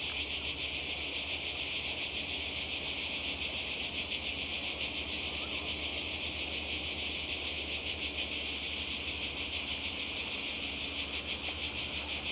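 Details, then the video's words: Cicadas by the sea in Croatia during a summer 2020 holiday: a dense, unbroken high buzzing chorus with a fine, rapid pulsing texture, holding steady in loudness for the whole stretch. "Kroatien Zikaden und Meer"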